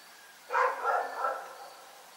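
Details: Rex, a dog in Pyrga, barking at night: one burst of three quick, harsh barks run together, then quiet, with a faint steady background hum.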